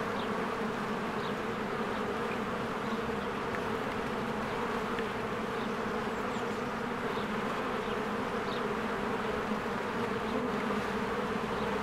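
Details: Swarms of honeybees working at a cozy beehive among spring blossoms; continuous thick droning hum, unbroken throughout, with scattered short high chirps of birds in the background.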